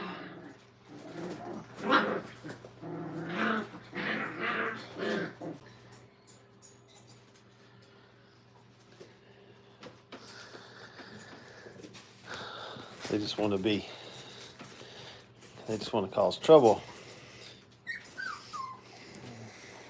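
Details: Brittany puppies, five weeks old, crate training in a kennel: wavering whines and low grumbling yelps in several clusters, ending with a rising-and-falling squeal, with quieter stretches between outbursts.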